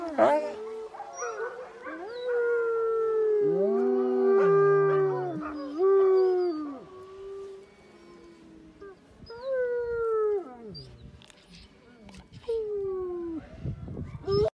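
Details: Wolf howling alongside a dog, two voices overlapping in a chorus of long drawn-out howls, some sliding downward, with a lower steady tone beneath and pauses between phrases.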